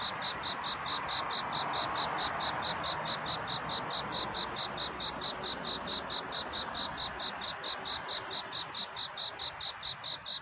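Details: Courting cricket in the night: a string of bright, high chirps keeping an even beat, partly veiled by a loud steady hiss that eases toward the end.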